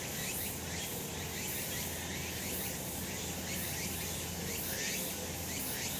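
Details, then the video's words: Summer cicada chorus from a sunlit mountain slope: continuous shrill droning hiss overlaid by soft rhythmic pulses, with a low background hum throughout. "セミの鳴き声 夏の山 日なた"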